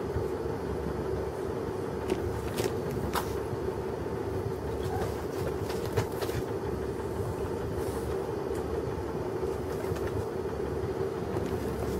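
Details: Steady low rumbling like a passing train or vehicle, with a few sharp clicks and knocks and no animal voice.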